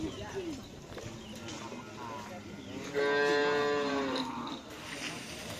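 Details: Cattle at a karapan sapi bull race training session at the Asemanis field in Pamekasan, Madura: one steady, drawn-out moo of about a second and a half, even in pitch with a slight fall at the end, over crowd murmur and background noise.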